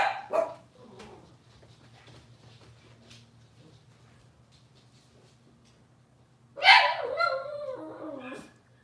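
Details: Litter of Cavalier King Charles Spaniel puppies indoors in the morning: a quick yelp at the start, faint shuffling, then a loud wavering whine that slides downward, with a low steady hum behind.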